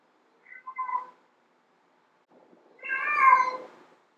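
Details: Female domestic cat meowing to attract male cats: a brief broken chirping meow, then after a pause a longer, louder, drawn-out meow rising then falling, with faint low rustling before it.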